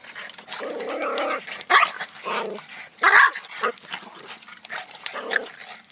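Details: Reese, a female miniature dachshund on her first time in a pool, biting at the water: two sharp, bright barks about a second and a half apart, over continuous splashing and sloshing water.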